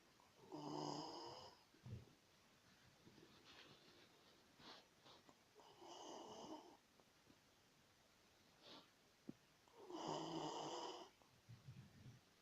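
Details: Domestic dog asleep and snoring, three hoarse, buzzy snores at irregular intervals of four to five seconds, with faint wheezy breaths and small clicks in the quiet gaps.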